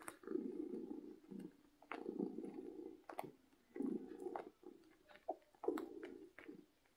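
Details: Happy domestic cat purring loudly: soft rumbling bursts in a steady in-and-out rhythm, about every second and a half, recorded close up indoors with light clicks between breaths.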